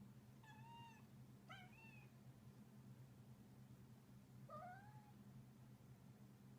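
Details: Munchkin cat trilling while playing, making short chirpy rising-then-falling trills, three bursts in about five seconds, over a steady low electrical hum indoors.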